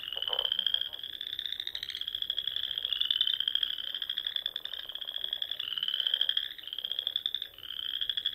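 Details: Frogs calling in spring from Sandhills ponds of Nebraska around dusk: an unbroken wall of shrill, even trills that restart every second or two, with a brief lower croaking burst at the start.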